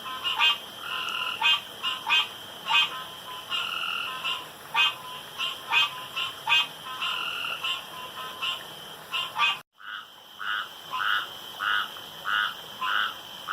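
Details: Pond frogs in the dark giving rapid rattling croaks, several per second, from more than one caller. A brief dropout near the end is followed by more croaking, all over a thin steady hum.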